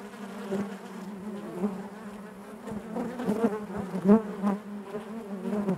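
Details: Steady hive hum of honey bees, low and even, with occasional clicks and a brief rising whine as one bee flies close near the end.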